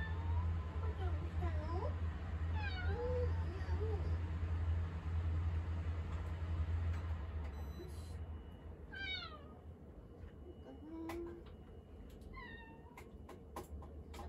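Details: Indoor cat turning clingy in the kitchen, meowing repeatedly: several short wavering and falling meows, one drawn-out cry near eleven seconds, a low hum fading partway, a woman speaking to the cat and kitchen clatter.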